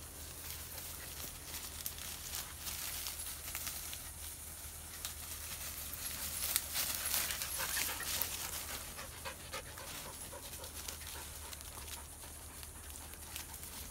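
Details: Panting Belgian Malinois on a hike in Belize, hunting for squirrels: quick, rough breaths repeated roughly three times a second over a long stretch, a constant low drone and rustling in the background.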